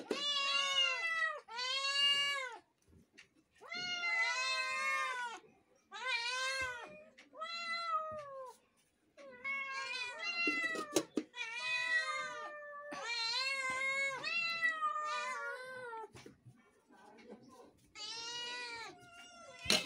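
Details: Multiple kittens meowing repeatedly: bright, arching harmonic meows of about a second each, sometimes overlapping, in a busy sequence of roughly a dozen calls with short pauses between them.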